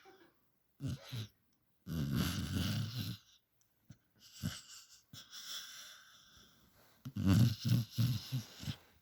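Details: Puppy snoring in a humanlike way: harsh, wheezy snores with throaty, rattling low pulses come in bursts, a long one early on and a stronger, pulsing run near the end, separated by quiet breathing.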